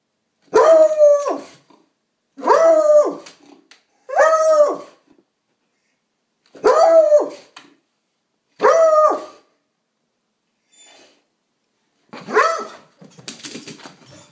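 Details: Female coonhound shut inside a house and unhappy while a mail carrier walks past on the sidewalk: loud, drawn-out, howling bay-barks, each about a second long and roughly two seconds apart, with a final rougher outburst.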